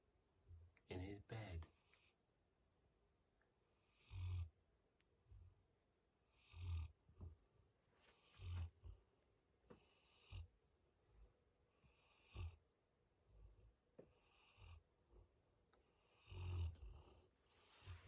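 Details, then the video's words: Tired male chocolate Labrador Retriever trying to sleep in his basket late at night, snoring in deep, rough, low breaths that recur roughly every two seconds, with a person briefly speaking at the start. "Chocolate labrador retreiver. Tired Bear. Snoring in his basket."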